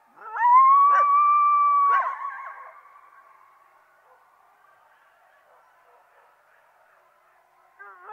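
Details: Coyote calling: a single clear, steady howl held at one pitch for about a second and a half, ending in a short yip, then quiet fading tail and faint yips at the end.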